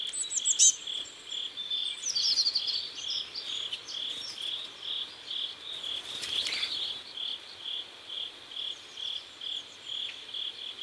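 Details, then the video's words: Crickets at sunset by a river in South Korea, chirping in steady pulses about every half second, a high buzzy trill repeated throughout; faint bird calls flicker above and a brief rustling burst passes near the middle. "Sunset River and Sound of Crickets"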